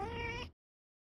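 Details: Cat giving a single brief, bright meow that cuts off abruptly after half a second.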